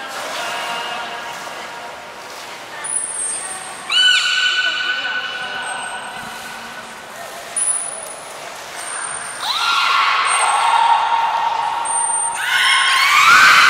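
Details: Belugas Taanya, Nana, Mirai and Niko in training at Port of Nagoya Public Aquarium, Japan, July 2020. A series of rich, squealing harmonic calls, several sweeping up then holding steady. Short thin high whistle tones recur throughout, plus faint background chatter.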